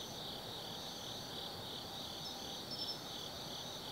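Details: Autumn insects singing after dark in the woods of Tsukimi no Mori, Nanno, Kaizu, Japan: an unbroken high-pitched ringing chorus with a brief brighter chirp near the end and light background noise.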